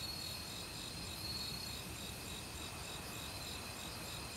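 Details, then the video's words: A dense autumn cricket chorus in the forest: unbroken high trilling with fast pulsed chirps layered on top, set against the steady hiss of flowing stream water. "가을 귀뚜라미 소리"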